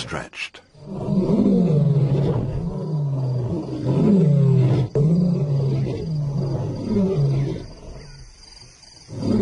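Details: African lion roaring in a series of deep, arching grunts, each rising and falling, repeated steadily for several seconds with faint background hiss.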